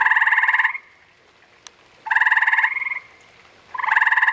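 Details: Gray tree frogs, a couple spawning: three loud pulsed trills, each about two-thirds of a second long, rapid and buzzy, separated by about a second of near silence. One faint click is heard in the middle.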